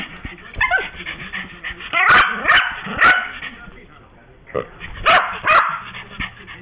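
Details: Pet Yorkshire Terrier barking, angry after his new toy, a little noise-making pig, was taken from him. Sharp, high barks come in two clusters: three or four near the middle, then two or three more toward the end, with quieter yaps and huffs between.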